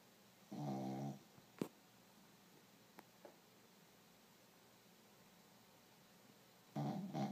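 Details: Sleeping dog snoring: two rough, harmonic snore breaths about six seconds apart, with a few faint clicks in the quiet between them.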